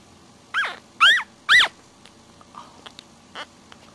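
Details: One-week-old puppies, sleeping and nursing, give three short, high squealing whines with an arched pitch, each rising then falling, in quick succession. A few faint soft squeaks and small rustles follow.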